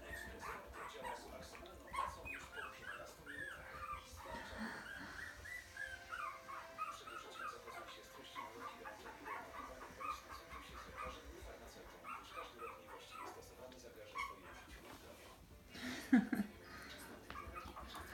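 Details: Puppies whimpering with thin, arching whines and occasional yelps, repeated irregularly over soft background noise, with one sharper louder cry near the end.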